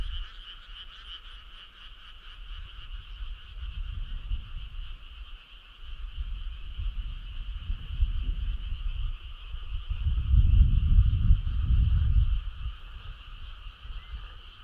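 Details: Frog chorus on a summer night: a steady, dense trilling hum of many callers holds through the whole stretch, while low rumbling noise swells and fades beneath it, loudest near the end.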